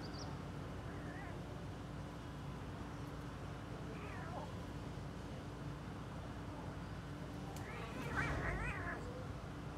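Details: Kittens at play give soft, short meows scattered through the clip, a rising-falling one near the end louder than the rest, over a steady low hum and background noise.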